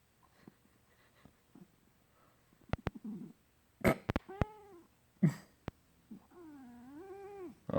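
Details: Indoor pet cat making what its owner calls an odd new noise: a few soft clicks and thumps, then drawn-out wavering meows with a rising and falling tone. The last long meow sounds plaintive.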